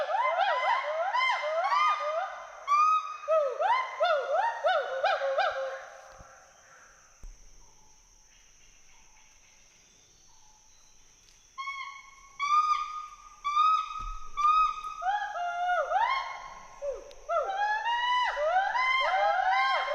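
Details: Whoops and hoots from two Western hoolock gibbons at play in the forest of Hollongapar Gibbon Sanctuary, Assam: rapid rising calls, a quiet gap of several seconds, then renewed bursts of swooping hoots.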